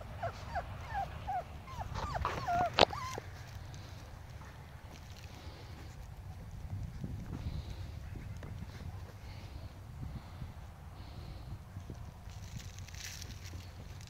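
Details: Five-week-old Pomsky puppies playing with a five-week-old Husky puppy; a quick run of high, wavering whines and yelps in the first three seconds, then only low rumbling background and scuffling.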